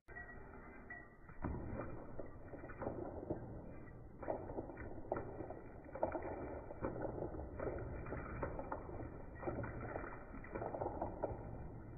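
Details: Slowed, muffled splashing and thuds of water with dull low rumbles, and no animal voice.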